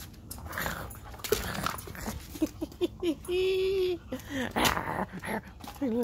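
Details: Alaskan husky named Whiskey playing ball indoors, protective of his toys and refusing to share; short rising and falling whines, then a sustained level whine near the middle, with more quick wavering yelps after, over a man's voice.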